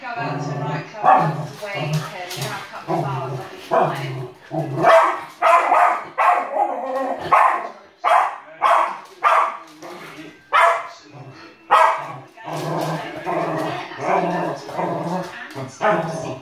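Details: Older male West Highland White Terrier barking at a television indoors while a younger female Westie pulls him away; sharp, broadband barks come in irregular bursts roughly every second, mixed with voices in the background.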